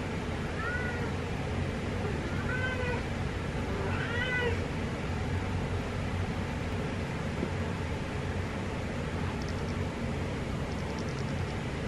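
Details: A cat gives three short meows in the first five seconds, each a thin, arching cry, against a steady low hum. After that only the background hum continues, with faint high ticks near the end.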